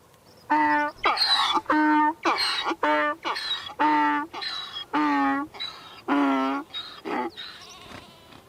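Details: Donkey bray in full voice, a seesawing series of harmonic honks and breathy rasps about twice per second, weakening into short ragged notes near the end.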